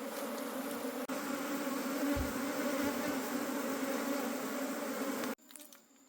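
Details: Wild forest honey bee colony at harvest time: a loud, even hum with a short break near one second, a low thump around two seconds, then an abrupt cut to near quiet.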